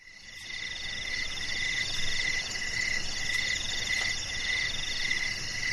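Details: A night chorus of crickets in a garden, steady pulsing chirps layered at several pitches with no pause.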